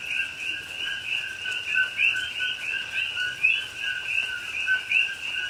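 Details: Rainy night in a Pahoa, Hawaii rainforest, October 2021, with coqui frogs calling: continuous overlapping whistled two-note calls, a low tone then a bright rising note, some standing out louder, steady rain noise underneath.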